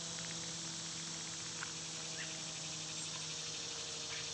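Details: Cicadas sing in summer, a constant high-pitched buzzing hiss holding level throughout, backed by a low steady hum and a couple of faint bird chirps.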